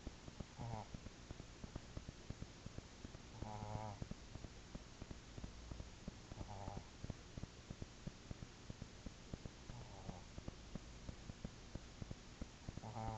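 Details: Ocsar, a pet dog, snoring: low, rasping breaths with a tonal rattle on each, repeated about every three seconds, over a quiet indoor background with faint clicks.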